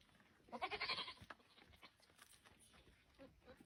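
A goat gives a loud, wavering, nasal bleat during mating, then the surroundings fall quieter.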